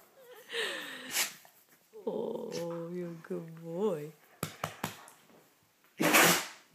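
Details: Pet dog being woken in the morning, reluctant to leave bed, yawning and stretching: a drawn-out, wavering, groaning yawn-moan with rising and falling pitch, after a person's coaxing voice and followed by sharp clicks and a loud breathy burst.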